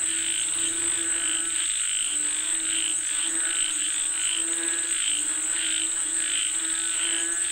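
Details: Rain-calling frogs croak together in a thick, pulsing chorus, bursts repeating a little faster than once per second, backed by a continuous piercing high whine.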